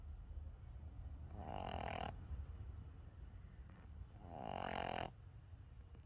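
A Boston Terrier puppy snores in two long, rasping breaths with a steady low rumble between them.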